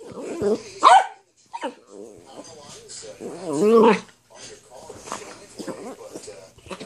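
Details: A female Dachshund indoors, wanting her ball: sharp, high whining yelps that bend up and down, one burst near the start and a louder one near four seconds, with a person talking throughout.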